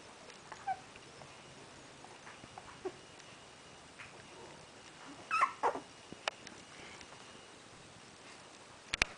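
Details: Zesty, a 3-week-old male Pembroke Welsh Corgi puppy, stares at the owner and gives a few brief, high, thin whines to get attention.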